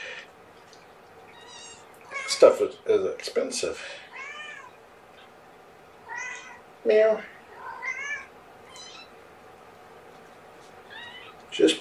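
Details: Kitten Amber, one of Gamora's five kittens born April 14th, mewing while being bottle-fed powdered KMR formula indoors; repeated arched, wavering mews in clusters every second or two, mixed with soft handling noises and a human voice.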